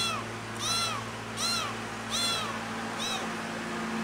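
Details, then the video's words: Cat meowing very loudly because it misses its mother: four arched, rising-then-falling meows repeated at steady intervals of about three-quarters of a second, over a constant low electrical hum. "Meow Very Loud To Miss The Mother"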